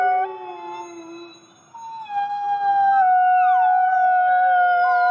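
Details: Gray wolves, part of a group of thirty-three captive wolves at the Wolf Conservation Center in South Salem, New York, howling: several long, steady, overlapping tones, a low voice sliding downward, then a higher howl gliding down into a sustained held note.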